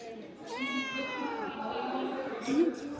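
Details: Stubborn, dramatic young cat giving one long drawn-out meow that starts high and slowly falls over about a second, with people talking softly in the background.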